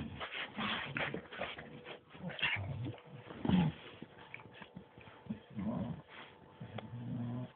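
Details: Two pet dogs, a bulldog and a Staff named Bruise and Winston, playing together indoors; low harmonic whimpers and short yips come in bursts, with scuffling and a faint steady hum behind.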